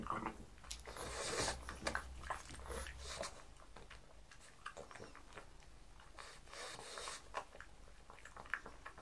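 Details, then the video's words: Mars the pug sniffs and eats breakfast foods in a small room. A loud snuffling burst opens, then scattered crunchy bites and short nasal snorts follow. "ASMR pug eats, pug sounds"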